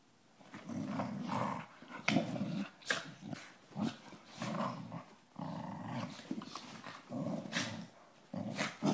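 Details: Dog at play, growling almost continuously in deep, rough bursts that rise and fall every second or so, broken by brief snorts and sharp clicks of movement.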